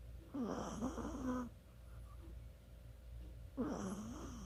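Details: Snoring Chihuahua during sleep, 24 October 2020: a long wheezy snore with a wavering whistle, a pause, then another whistling snore begins, steady hum behind.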